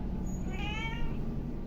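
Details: A hungry domestic cat gives a short, clear meow lasting about half a second, over a low background rumble.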